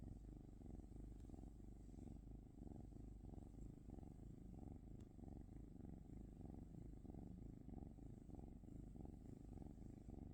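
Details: Quieter, rougher low purring from a cat, its breathing pulses less distinct and somewhat irregular under a soft background rumble.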